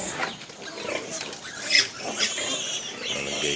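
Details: Pigs on a farm where a sow is giving birth to piglets in December, around 2 a.m.; a short burst of thin, high squeaks with one sharper squeal near the middle, over rustling and soft background noise.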